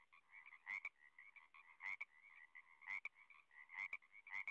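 A frog calls with a steady, buzzy trill, punctuated by sharper clicking pulses about once a second.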